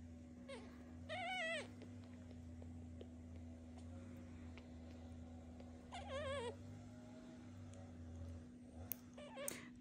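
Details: Hungry orphaned kitten being hand-fed from a syringe-bottle, raised with a foster mother cat; two faint wavering high meows about five seconds apart over a constant low hum and soft handling noise.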